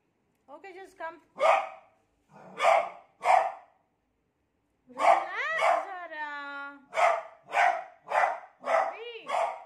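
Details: Beagle afraid of its new cot barks repeatedly, with bursts of two or three barks, while human voices talk over and between the barks.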